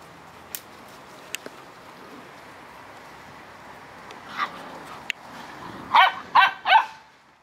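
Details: Korthals Griffon Djip with her litter on day 57. A quiet stretch of scattered clicks and taps leads to one muffled bark, then three loud, sharp barks in quick succession near the end.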